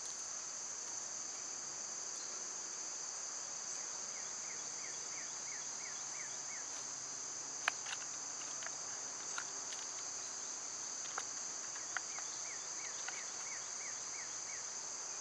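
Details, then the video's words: Summer cicadas, loud at this time of year, form a constant high shrill drone throughout, while a series of short rising chirps repeats twice and sharp clicks and taps break through now and then. "Birds & Squirrels w/ Cicada sounds"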